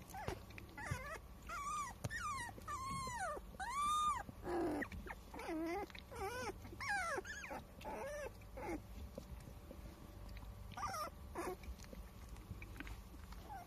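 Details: Newborn Standard Poodles, aged 22 days and recorded on 8 April, whine in quick succession, about 87 cries a minute. The notes are arched and falling, some rising sharply first, with faint scuffling between the cries.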